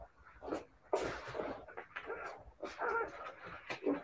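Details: Siberian Husky puppies whining in short, wavering, harmonic whimpers with brief breathy bursts, clustered in two bouts over four seconds.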